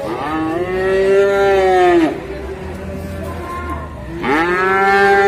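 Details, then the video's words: Big cow suffering from a sore leg gives two loud moos, the first a drawn-out bellow of about two seconds that dips at the end, the second starting after a pause; quiet barn hum between. "SAPI JUMBO KASIAN KAKI NYA SAKIT"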